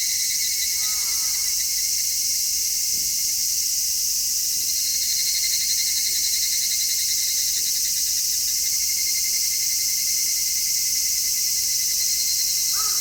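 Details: Midsummer cicada chorus, captured in stereo through an MKH-416 microphone: an unbroken, even, high buzzing drone fills the whole recording. A faint distant bird call appears briefly near the beginning and end.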